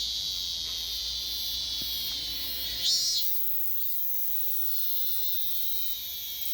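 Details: A robust cicada heard at Daegok-ri in Gapyeong County, South Korea, back after a year's absence. It makes a continuous, shrill, high buzz that swells briefly louder near the middle and then settles back to a steady drone.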